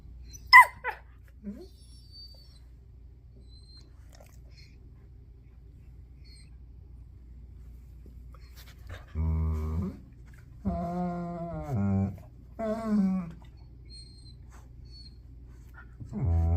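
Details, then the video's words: German Shepherd being pestered by a puppy indoors: a few drawn-out harmonic whining, groaning calls in the second half after a near-silent start, with a brief high squeak early on. "German shepherd abused by puppy"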